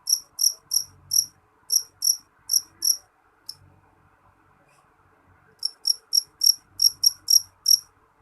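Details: Loud jangkrik jeliteng cricket chirping in a steady, evenly paced series of bright, piercing pulses, falling silent for about two seconds, then resuming with a brisk run of nine chirps. A faint low hum sits underneath.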